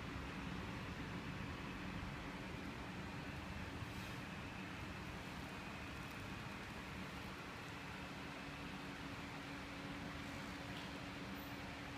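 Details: Only faint steady hum and background noise is heard, with no animal sound.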